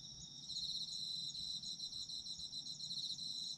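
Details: High shrill trilling of autumn insects, quick pulsed chirps layered on a continuous ringing note, steady throughout, faint low noise below.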